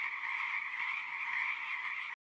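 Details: Frogs trilling together in a steady, rasping, continuous chorus that stops abruptly near the end.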